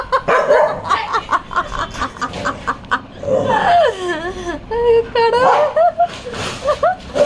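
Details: A dog barks in a run of short, sharp barks, then gives wavering whines at a cat toy it seems to take for a real cat, refusing to back off, while people talk and laugh nearby.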